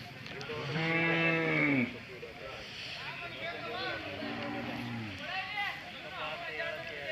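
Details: Hallikar cattle at the Sunday Jodugatte cattle fair, Turuvekere taluk, Tumkur district, Karnataka: two low, drawn-out moos, each about a second long, the first louder and ending in a slight bend, amid steady crowd talk.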